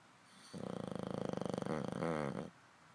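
An English bulldog snores with a low, rattling, buzzy drone lasting about two seconds.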